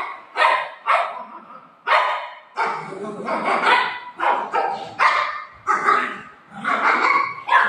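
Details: Pet dogs Buzo and Milo, eager to eat rasgulla, give loud, sharp barks in short bursts, about a dozen across several seconds, some running together, with a voice faintly mixed in.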